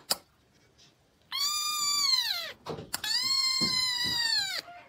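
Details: Domestic cat giving two long, drawn-out meows, each holding steady and then sliding downward at the end, with a short click before the first and a brief quiet gap between them, in an indoor setting.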